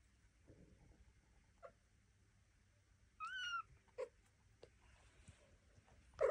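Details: Devon Rex kitten exploring a room during its first steps, with mother Elma and an aunt close by; one clear, high, bending meow amid soft shuffling and small clicks, then a brief sharper squeak at the end.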